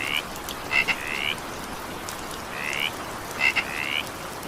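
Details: A frog in evening rain gives a few short rising croaks, two of them introduced by quick double clicks, over steady rainfall.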